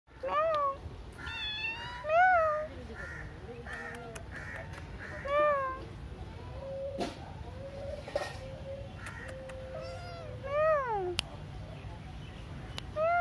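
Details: Indian street cat meowing repeatedly: clear, tonal meows that rise and then fall, arriving every one to two seconds and sometimes in quick pairs, over a steady low background hum with faint clicks.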